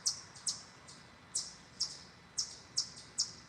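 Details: Chipmunks in a forest give sharp, high-pitched chirps, repeated irregularly a couple of times each second and growing louder, with one chipmunk barking closer by.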